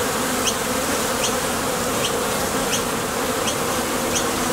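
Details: ['Honey bees buzzing at the entrance of a Top Bar Hive as they leave and land while foraging for nectar: a loud, even drone fills the sound, with faint high chirps about every three-quarters of a second.']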